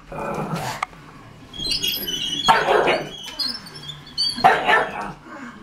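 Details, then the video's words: Smeagol, a pet pug reacting against a Lego tank he dislikes: a few sharp barks about two seconds apart, broadband bursts, with a whirring toy motor and mechanical sounds in between. "pug vs lego tank"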